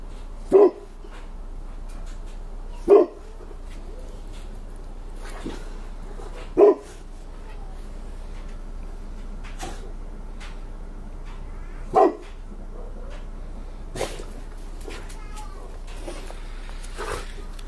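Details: Two pet dogs, a 5-year-old Rottweiler named Cassie and a 10-month-old Bullmastiff pup named Rocco, playing in the snow, catching and eating snowballs; loud single deep barks spaced several seconds apart, with soft crunching and rustling between.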